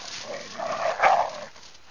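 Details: Two almost seven-month-old dogs romping in snow at Rouge River during their first winter, filmed on a still-photo digital camera; one muffled, rough bark-like yelp swells and peaks briefly, then fades.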